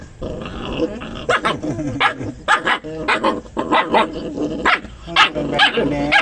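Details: Quarrelsome dogs guarding a chicken bone, as if biting each other: rapid overlapping barks and yips with growling underneath, dense and continuous throughout.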